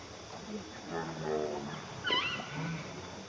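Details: Hungry baby monkey crying and begging its mother for milk: a few low harmonic whines, then a sharp high-pitched squeal that sweeps downward, with soft background rustling and murmuring.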